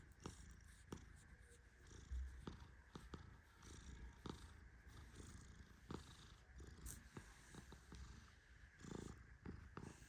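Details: Deeply asleep male Persian cat snoring softly as he is petted; continuous low rumble with uneven breath pulses and brief rustling clicks scattered through the recording.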